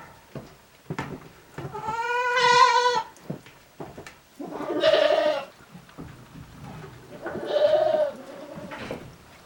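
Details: At a small handmade goat farm on January 29, 2023, goats rest in their shed, ruminating: three drawn-out, vibrato bleats about every two to three seconds, with soft clicks and rustling between.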